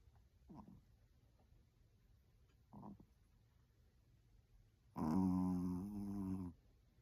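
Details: A Maltese dog sound asleep indoors; two brief faint snuffling breaths, then one loud, long, harmonic nasal snore lasting about a second and a half near the end.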